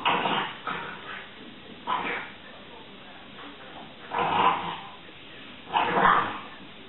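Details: French bulldogs in a stand-off, one tormenting the other, give short, hoarse, throaty barks in separate bursts, with a person speaking briefly.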